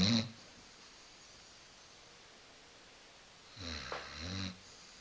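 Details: Sleeping on the couch, Coco, a female Basset Hound, gives a short snore tail at the start, then after a silent pause a rough, gurgling snore lasting about a second.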